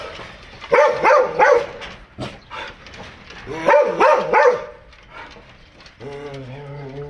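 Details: Foreign-breed house dogs bark in two quick bursts of roughly three sharp, rough woofs each, separated by quieter background noise. A steady humming tone follows at the end.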